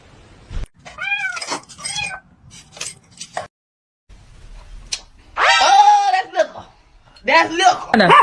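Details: Domestic cat meowing several times: short arched meows early on, then a longer, louder meow and a final rising-falling cry, with indoor voices in between.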